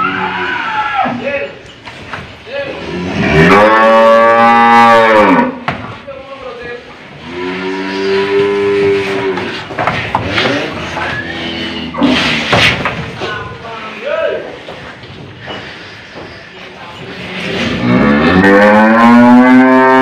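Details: An old cow being fitted with a nose rope in Indonesia lows repeatedly: several long, strained, harmonic moos with rising and falling pitch, separated by handling noises and brief voices.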